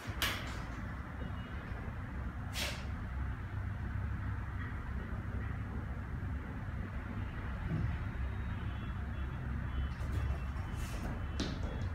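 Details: Steady low rumble like a passing vehicle, with a few brief clicks and knocks and no animal voice.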